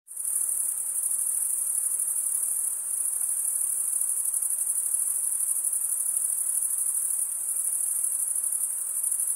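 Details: Crickets, males stridulating by rubbing one wing along the toothed vein of the other, make a steady, unbroken, very high-pitched shrill trill with no pauses throughout, over a soft, faint hiss beneath.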